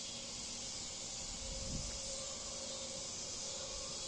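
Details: A cicada chorus in backyard trees in Bolivar, Missouri, around 8:30 pm on a cool evening (about 70s) on 16 August 2023, sings an unbroken, high, hissing buzz. The insects take turns, with a faint low rumble beneath.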